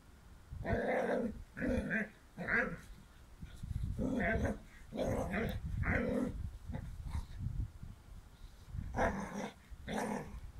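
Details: Dobermann puppy with a bone, growling in a string of short, rough, throaty bursts, roughly one per second, with brief pauses between growls and a louder cluster near the end.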